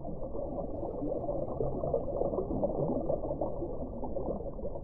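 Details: Continuous muffled, low rumbling like churning water, dull and without any high tones, and no animal call.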